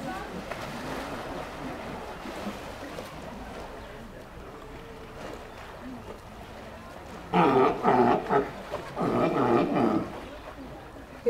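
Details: Sea lion at ZOO Ljubljana giving two loud, harsh barking bouts late in the recording, each a rapid run of pulsed, throaty barks lasting about a second, over a steady background murmur of visitors.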